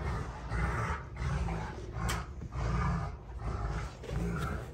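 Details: Two Rottweilers, June and Kenai, play fighting on a ranch: deep rumbling growls in surging bursts about once a second, with snarling roars rising and falling between brief pauses.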